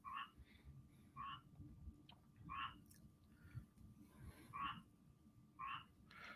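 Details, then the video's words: Frogs calling near building walls during a live broadcast at night: short bright croaks repeated roughly once a second, each with a clear tonal core, over low room rumble and a steady hum. "yes you're hearing frogs"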